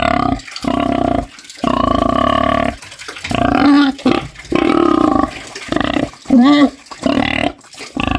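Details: A snoring pig, farm animal, gives deep, droning snore-like grunts in bursts about a second long, with short pauses between.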